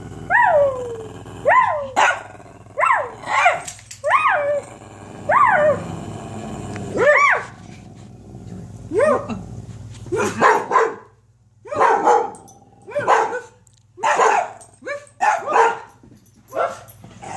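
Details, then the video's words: Dogs bark in quick, regular bursts of short, falling yelps for the first seven seconds. Sparser, harsher barks with pauses between them follow. A constant low hum sits underneath. "Barking with my DoGGs"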